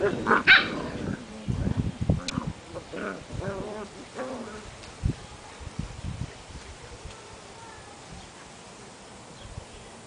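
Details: Portuguese Water Dog puppies, seven weeks old, at play outdoors, giving a sharp bark followed by a scatter of short yips and whimpers that fade out, with thumps and rustling from the romping.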